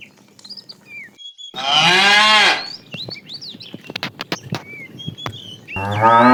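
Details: Tame cow in a herd being driven in the afternoon, a fat cow calling the female: one loud harmonic moo about a second long, rising then falling slightly, with many birds chirping and whistling around it and a second moo starting at the end.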